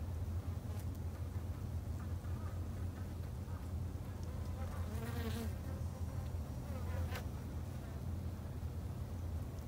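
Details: A continuous low drone from kept Japanese honey bees at a garden hive. A louder wavering whine swells near the middle as one bee seems to fly close, with soft clicks scattered through.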